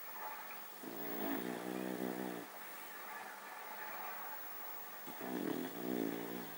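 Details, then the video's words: Dog named Baks asleep, snoring like a human: two long rasping, droning breaths with a buzzy tonal quality, one at the start and one near the end, separated by quieter breathing over steady background hiss. "Собака храпит как человек"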